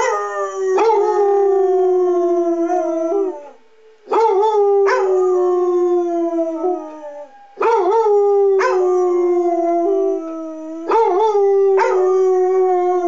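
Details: Monthly public address siren test with two pet Basset Hounds, Walter and Freckles, howling along. Long, sustained howls slide gently downward, repeat roughly every three to four seconds, and start with brief yelping attacks.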